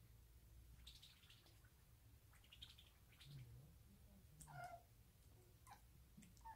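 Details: A 5-month-old female short-legged Munchkin kitten chatters softly in quick, faint chirping bursts, as she often does when a toy comes out.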